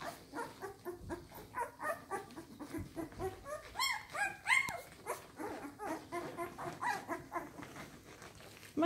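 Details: Twelve-day-old Samoyed puppies from one litter, nursing at their mother, keep up a steady chorus of thin squeaks and whines, swelling into louder wavering squeals around the middle, with soft rustling throughout.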